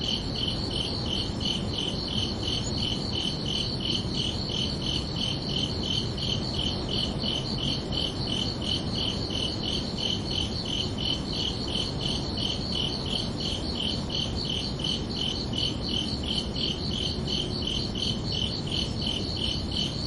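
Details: Crickets chirping at night on a summer evening, a steady stream of high, evenly pulsed chirps about three per second running without pause over a soft low rumble of background noise.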